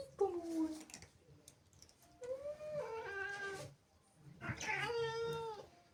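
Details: Indoor female cat, angered and jealous of kittens in the house, utters three separate drawn yowls: a short falling cry, a longer wavering moan, then a strained rising-and-flattening wail, with brief silences between.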